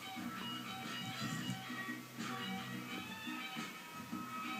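Plucked guitar music plays with faint speech in the background and no animal sound.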